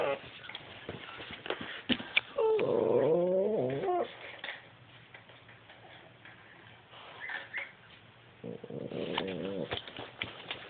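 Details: Indoors, the tricolor Cavalier King Charles Spaniel Rosie, two years old, reacts with displeasure to puppy footage: a rising-and-falling whining growl, quieter clicks and yips, then another brief moaning growl.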